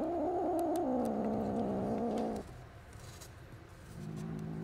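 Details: Low, steady growling from angry kittens in a litter of five found with their mother cat, lasting over two seconds before dropping to soft background noise and a fainter low growl near the end.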